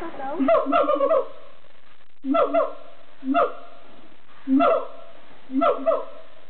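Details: Captive siamangs in song at Amersfoort Zoo in the Netherlands, giving short loud bursts of barking, booming notes in groups about once a second, separated by brief pauses.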